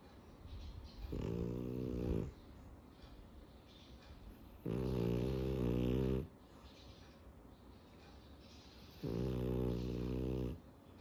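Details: A sleeping French Bulldog snores three times, each a low, buzzy, rumbling inhale of one to one and a half seconds, spaced about four seconds apart, with soft breathing between.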